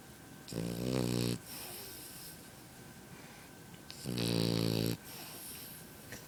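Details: A French bulldog puppy snores in its sleep: two long, harsh, vibrating snores about three seconds apart, with quiet breathing in between.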